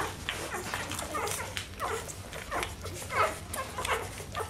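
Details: Rhodesian Ridgeback puppies from one litter, whimpering and squeaking in short high bursts, roughly one or two per second, uneven in spacing, over a low steady hum.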